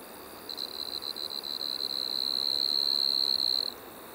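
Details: A striped marsh-cricket at Maggia, Switzerland, early September 2023, starts with a stuttering, pulsed trill that smooths into a sustained high buzz, swells in loudness, then stops abruptly after about three seconds.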